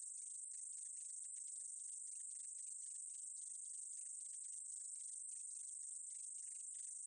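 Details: Meadow katydid in a Korean insect sound collection from 2020: a thin, constant high-pitched whine with quick clustered clicking underneath, steady from start to end.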